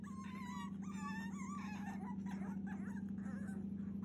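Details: Cavalier King Charles Spaniel puppy, 42 days old, wanting out, indoors on 30 June 2021: thin wavering whimpers sliding in pitch, partly buried under a loud continuous droning hum.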